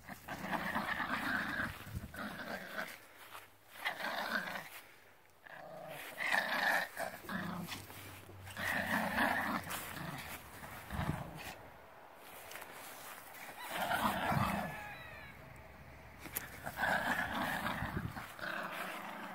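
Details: Young Yorkshire Terrier puppy named Wally playing outdoors; rough, playful growls and yappy bursts come in short irregular clusters every few seconds, separated by quiet gaps, with faint outdoor background.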